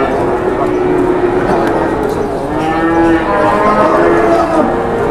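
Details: Cattle at a busy livestock market during hard bargaining between traders: drawn-out, low moos with stacked harmonic bands rise over a constant din of voices and crowd noise.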